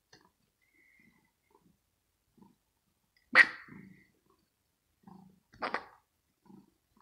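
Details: Kitten Rosetta, resting indoors in her scratching house and teased with a finger during play, nervous yet playful: two sharp, breathy, broadband bursts about two seconds apart in an otherwise quiet room, with faint soft rustles between.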